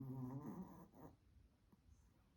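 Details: Sleeping Spitz dog indoors snoring: a low, buzzy, harmonic-rich rasp in the first half second, then a softer second snore near one second, followed by quiet breathing.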